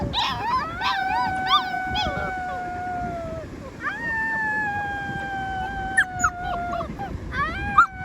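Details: Young rescued wolves howl in long drawn-out notes holding steady then dipping, two or more pups overlapping, with quick yipping bursts before and after the main howls.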